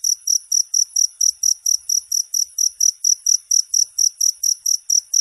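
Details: Cricket call used as a master recording to train songbirds in Indonesia: a high, shrill chirp pulsed in steady, rapid bursts about four times a second, with no other sounds.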